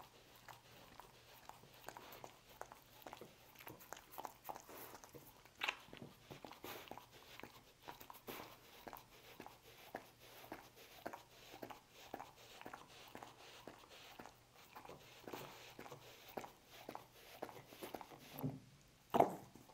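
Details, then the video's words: A pet dog eating roast beef indoors in a small room: steady wet crunching and smacking bites, closely spaced clicks repeating throughout, with a louder snap near the end and no other clear sounds. "Dog Eating Roast Beef"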